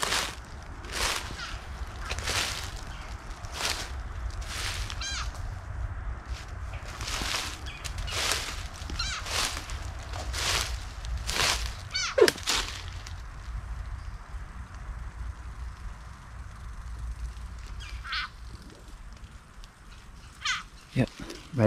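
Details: A frog's distress call from the mouth of a black racer snake that has caught it, beside an abandoned train track on the Georgia coast: loud, harsh bleating screams repeated about once a second.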